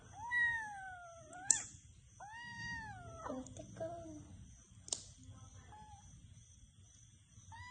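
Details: Cat meowing indoors: a long, gently falling meow, then a rising-and-falling one and a few shorter, softer mews, with sharp clicks and a faint background hum.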